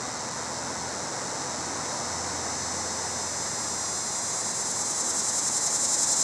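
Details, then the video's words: Cicada giving its mating call from a pear tree, a steady high hiss growing louder and pulsing faster toward the end as the recorder approaches. "Cicada Mating Calls"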